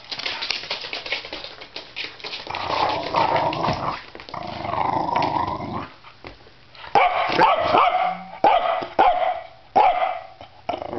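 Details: A small Pembroke Welsh Corgi pulling on a rope during tug play indoors gives low rumbling growls, then short sharp barks and yips in bursts toward the end.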